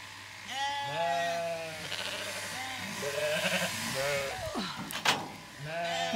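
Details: Zwartbles sheep at a farm in County Kilkenny, Ireland, lambs confused by their shorn mother's new look and smell: several overlapping wavering bleats of varied pitch from more than one animal, with a steady low hum and a brief knock.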